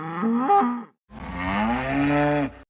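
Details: Zebu mooing: one long, deep, resonant bellow of about a second and a half that rises slightly in pitch before cutting off.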